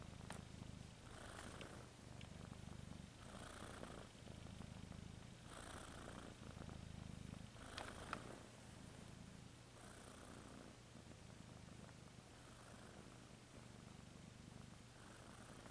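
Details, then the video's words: Cat purring steadily, a deep rumbling purr rising and falling with each breath, roughly every two seconds, with faint higher breathy swells. "Cat ASMR"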